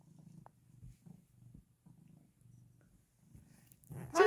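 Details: Domestic cat purring before being given a treat; soft low rumbling pulses in short bursts with brief pauses, ending in a louder close rustle.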